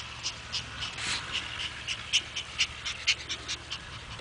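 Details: Pet Chihuahua, one of three kept at home, breathing in quick rhythmic pants about twice a second, each a soft hissy burst with no barking or whining; a faint steady low hum underneath.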